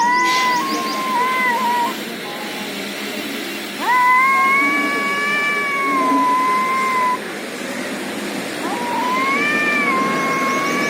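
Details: Fighting cats in India trade drawn-out yowls, wavering and rising wails lasting several seconds each, with background noise throughout.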